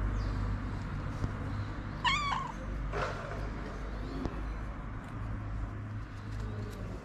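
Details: Snow White, a feral street cat wanting love and food, gives one short, clear meow that rises then falls, over a steady low rumble of background hum and faint distant chirps.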